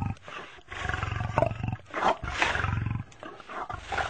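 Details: Lion giving harsh, throaty roars with a pulsing low rumble, several rough bursts rising and falling in quick succession across a few seconds.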